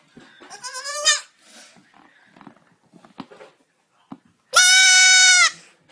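A young goat gives two high, quavering bleats, the second loud and held for about a second.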